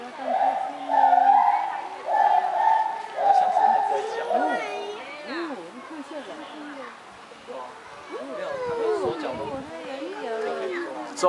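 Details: In Kaohsiung, a lar gibbon gives steady, hooting notes about once a second, then fades under chattering human voices.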